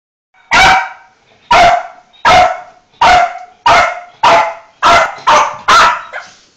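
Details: A Yorkshire terrier gives a string of sharp, high barks, excited as a family member comes home; the dog waits at the window when expecting someone.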